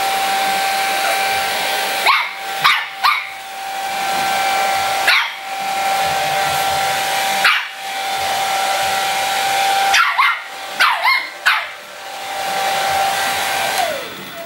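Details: Mu-Shu, a three-month-old Shih Tzu puppy, barking at a hair dryer indoors: about eight sharp, ragged barks, some in quick pairs or trios, breaking through the dryer's steady, high whining drone.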